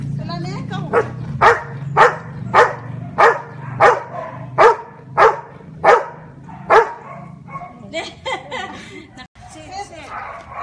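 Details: A Labrador named Marley counts by barking to match fingers shown: a woman's voice opens, then roughly ten loud, regular barks follow about every 0.6 seconds, with more speech and a few softer barks near the end.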